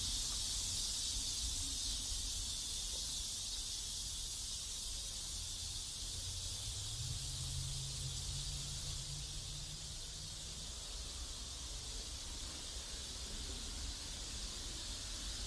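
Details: Steady high buzzing of cicadas around a neighborhood in South Korea, unchanging for the whole stretch, while a low engine-like hum swells in the middle and fades again.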